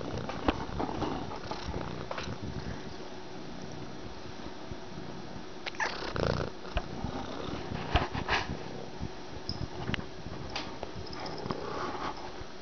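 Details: Domestic cat adopted from a shelter, purring while hugging the camera; a soft, steady low rumble runs under the scene, broken by rustling and handling bumps.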